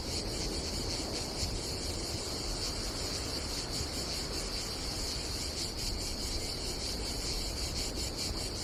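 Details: Summer cicada chorus at a seaside campsite on Croatia's Adriatic coast: an unbroken shrill drone, finely pulsed, with wind and surf noise filling the low end.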